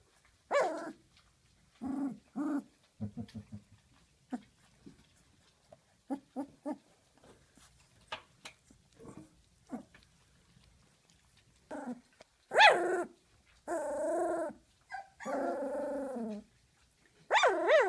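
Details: A 19-day-old female Doberman puppy gives short, high-pitched growls and whiny yips after her first dinner of big dog food, guarding her bed from the camera.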